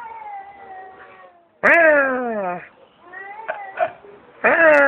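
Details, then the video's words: Stray cat being spoken to behind an office building calls several times: loud, harmonic meows that slide downward in pitch, each around a second long, with brief gaps and small knocks between. "Feline Concert with Human Intermezzo"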